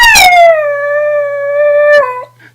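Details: Pet dog Sweetie, a female, howls when told to sing: the sustained tone starts higher and slides down, holds level for about two seconds, then dips briefly before stopping, over a faint constant hum.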